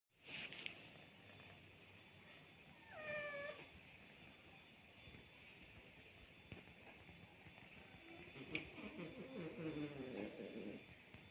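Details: Two domestic cats, an orange one and a pregnant female, heard faintly: a short bright meow falling in pitch around the third second, then a longer, lower wavering moan near the end, over steady faint hiss.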